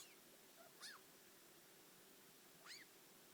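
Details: Yui, a four-year-old pet degu, grumbling indoors: two short arched chirps, each quickly rising then falling, spaced about two seconds apart over a steady low room hum.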